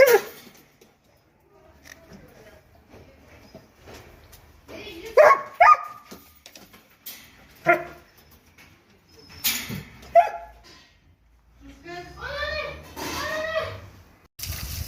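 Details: Dobermans at bath time barking in short, harsh bursts spaced a few seconds apart, then a run of rising-and-falling whiny, yelping calls near the end; voices and splashing noises break in between.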